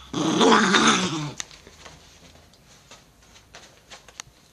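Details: An Italian Greyhound, apparently threatened by its owner's finger, gives a brief, rough, rumbling growl that breaks off into near silence.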